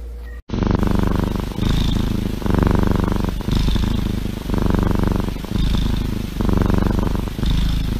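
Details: Domestic cat purring up close, a deep rumbling throb that swells and fades in steady cycles of about one second, a short click at the start.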